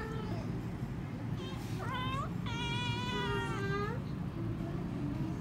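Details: Kittens mew in a cluster of high, wavering cries, one long drawn-out meow in the middle and a rising squeak at the end, over a constant low engine-like rumble.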